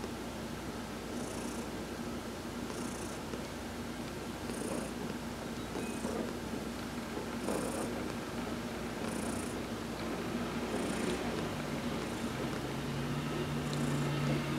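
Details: Adopted cat Heidi purrs through a massage while sunbathing, November 19, 2020: continuous rough rumble, pulsing with airy hissing breaths about every one and a half to two seconds, steady and unhurried, no other sounds.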